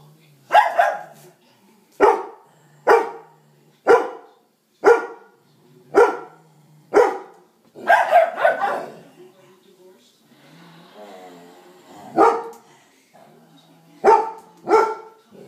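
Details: Playing pit bull pup, loud while inviting another pup to play: sharp, hoarse barks repeated roughly once a second, a brief pause with soft grumbling near the middle, then more barks in quick pairs.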